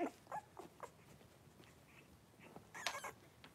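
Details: Blenheim Cavalier King Charles Spaniel puppies, three weeks old, a litter of five wrestling and playing in their pen; a string of brief, faint high squeaks and whimpers comes in quick succession, with a noisy scuffling burst near the end.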